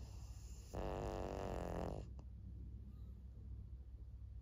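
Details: Snore from Maria, a fourteen-year-old fawn female pug, a senior dog in Japan, May 2024: one harsh, buzzing, rattly inhalation of just over a second, followed by quiet low indoor hum.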